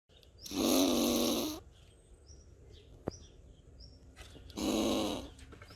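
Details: An agitated squirrel makes defensive noises at the camera person in Borken-Singlis, Germany, on 20 August 2021: two harsh, raspy growls, each about a second long, several seconds apart.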